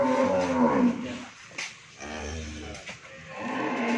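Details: Friesian cow that has calved once and has a bull calf, on a dairy farm in Bhangura, Pabna, Bangladesh, gives one deep, arching moo lasting about a second, followed by quieter room noise and a faint brief thump.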